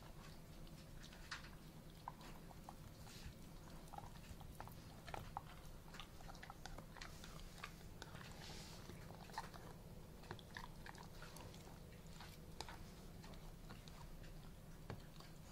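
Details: A male Alaskan Malamute calmly eats a duck carcass without any aggression, crunching and gnawing on the bones with sharp cracking bites over a low steady hum.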